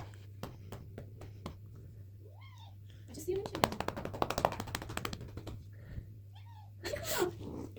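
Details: A pet cat getting a massage gives two short, arching meows, one early and one near the end, between bursts of rapid tapping and clicking, with a human voice in the background.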